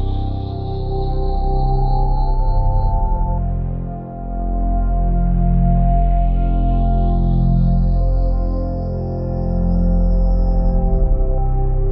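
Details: Sustained organ-like ambient music with deep layered drones and a thin high tone that fades, then rises slowly and holds steady; no animal voices are heard.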